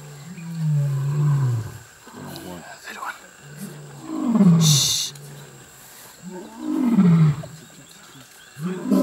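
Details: Mapogo lions roaring in the African bush-veld, deep moaning calls sliding downward in pitch, three roars spaced a few seconds apart, with a brief hiss of noise and faint voices in between.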